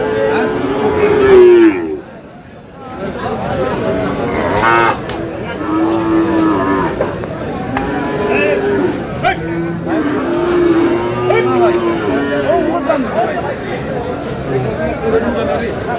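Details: Friesian and crossbred bull calves, around five to six months old, at Aftabganj cattle market in Dinajpur, Bangladesh, on 8/8/26: several drawn-out, low moos, each rising then falling, repeated every few seconds over a busy crowd of talking traders.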